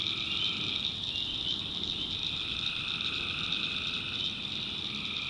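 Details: Tree frogs calling at night in the backwoods of North Carolina, a dense continuous chorus of high trilling calls with a steady band near 4k and lower overlapping pulses, crickets possibly mixed in.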